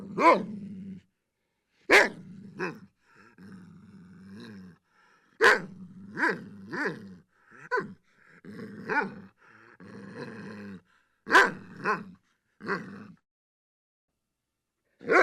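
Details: Domestic dog indoors giving repeated sharp barks at irregular intervals over about fifteen seconds, with low rumbling growls and grumbles filling the gaps between barks.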